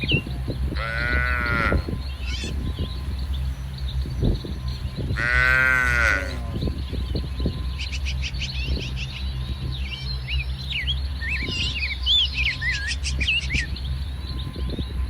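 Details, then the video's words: Dozens of tame cattle of mixed colours roam a muddy rice field in soft morning sun, grazing; two drawn-out harmonic moos about four seconds apart, with constant low rumbling background noise and scattered bird chirps. "Suara Sapi Moo"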